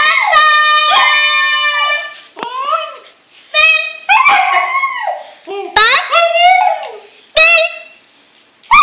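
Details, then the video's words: Dog howling along to Bidi Bidi Bom Bom by Selena in a small room, a long sustained wail followed by shorter yipping, falling howls, with a person's voice heard between them. "Dog howling to bidi bidi bom bom"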